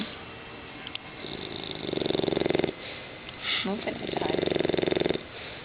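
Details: Sleeping English Bulldog puppy, six months old, snoring in two rasping, buzzy bursts about a second long, separated by softer breaths and a brief snuffle.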